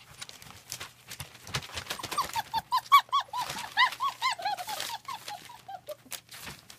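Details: German Shepherd puppies at a small family kennel on 40 acres in Mayo, Florida, during weaning. A quick run of high, arched whining yelps comes about four per second, loudest mid-clip, with laughter and indoor clatter around them.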